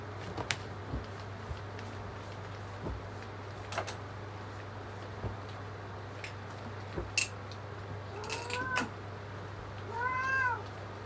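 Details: Cat sitting in a loaf pose gives two short rising-falling meows near the end, over a steady low hum with scattered clicks and knocks indoors.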